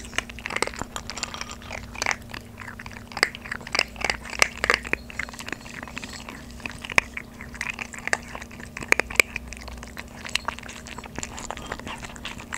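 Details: Maltese puppies, about 3.5 months old, eat dry kibble for the first time instead of their usual soaked food, with rapid, crisp, irregular cracks and clicks of chewing.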